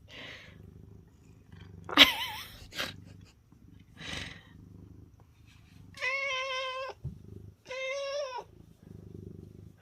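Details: Pet cat from a home of six affectionate, dog-like house cats: two drawn-out, clearly harmonic meows near the end, after stretches of human talk and a sharp knock early on, with low indoor hum throughout.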